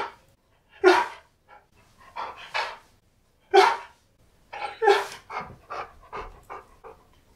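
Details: K'eyush, a Siberian Husky, greeting his best friend at a birthday surprise: sharp barking yelps with a low tonal base, several in quick clusters then pauses, breathy panting between them, quiet room.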